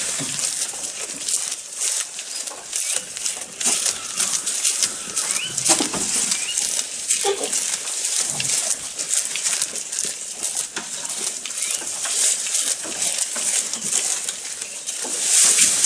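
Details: Goat eating at close range: a long run of fast, irregular crunching and tearing noises, several stronger chomps around six and eight seconds, steady background hiss.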